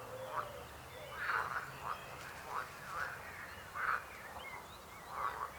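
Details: Frogs croaking in short rasping bursts, about seven calls spread unevenly over a few seconds, some doubled, against a quiet hiss with faint thin whistles in the background.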